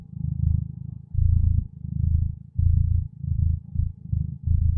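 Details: Contented domestic cat purring close up, a deep even rumble pulsing with each breath about every half second to second, with no other sounds around it.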